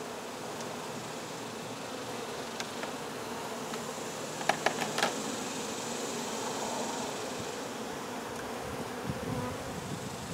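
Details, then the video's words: Many honey bees humming as their hive is removed, the queen later found; an even, sustained buzz fills the clip, with a quick run of sharp clicks about midway. "Honey Bee hive Removal"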